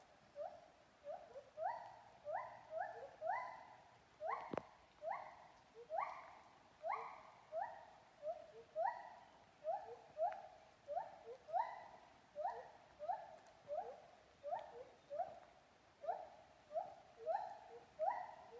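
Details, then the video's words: A monkey in Kaeng Krachan National Park, Thailand, sings a long run of rising, hooting notes, repeated steadily about twice a second. "Canto di una scimmia nel Parco nazionale di Kaeng Krachan"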